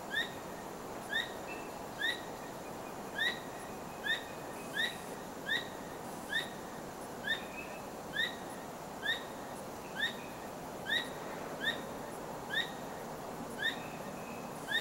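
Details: At night, a squirrel that was not trapped calls over and over while wagging its tail; sharp chevron-shaped chirps come roughly once a second in an uneven rhythm above a quiet, hissing background.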